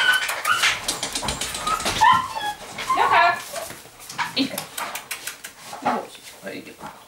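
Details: Rhodesian Ridgeback puppy born 9 September 2016, at a breeder's kennel, making thin high whines and short whimpers that rise and fall during the first few seconds, mixed with a woman's voice calling it in Russian.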